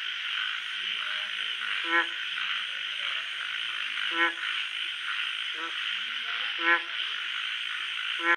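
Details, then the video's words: Night-time frog croaking: five brief, rich, low croaks at irregular intervals of one to two and a half seconds, set against a constant shrill chorus of insects or other frogs and a faint high whine. "Frog sounds at night"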